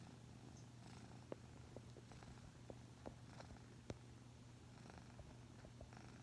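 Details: Pet cat purring while asleep indoors, leaning sideways after resting its chin on a person's leg; a soft, low, continuous rumble with scattered faint clicks and rustles.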